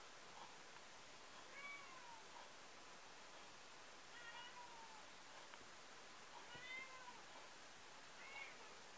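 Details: Cat meowing: four faint, short, falling meows spaced a few seconds apart over a steady hiss of background noise.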